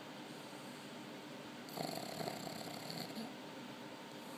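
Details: Bili, a sleeping Chinese pug in Haifa, Israel, snoring: one rough, breathy snore of about a second and a half stands out over a quiet, steady background hiss.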